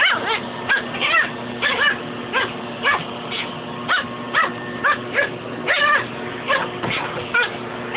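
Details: Dog battling a shop vac hose: a long run of sharp, high-pitched yapping barks, some doubled, two to three per second, set against an unbroken low mechanical hum.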